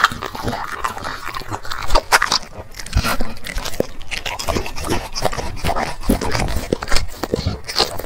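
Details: Black dog eating chicken and vegetables from plates: loud crunching, biting and chewing with heavy low thumps and wet smacks, steady and irregular throughout.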